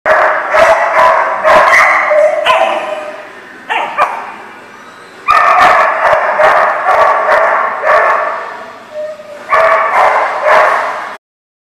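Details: Dogs at a barking lot recorded on 11/16/18: loud, rapid overlapping barks and yips in dense bursts, several per second, with brief pauses between runs.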